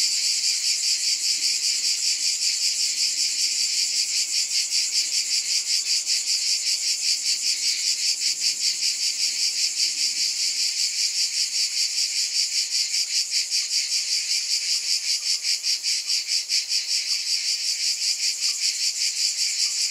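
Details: Cicadas in a dense, steady high-pitched buzzing chorus, throbbing in soft pulses roughly two or three times a second throughout, with no other clear sounds.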